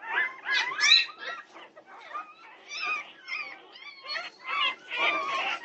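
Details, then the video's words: At 2:30 am on June 8, 2021, Norwegian Buhund puppies whine together: a busy tangle of short, wavering, high-pitched cries overlapping in uneven bursts with no quiet spells. "Puppy Pandemonium at 2:30am! Norwegian Buhund Puppies"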